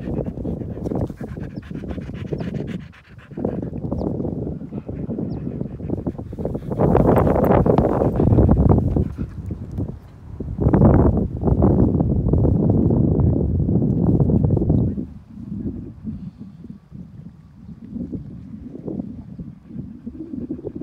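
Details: Keeshond dog panting during a morning meditative walk outdoors, rapid rhythmic breaths about three per second with louder bursts midway, faint outdoor background.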